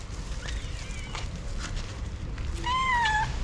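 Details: Hungry domestic cats, one of them pregnant, begging for food; faint meows early, then a loud sustained descending meow near the end, with a woman talking softly around them.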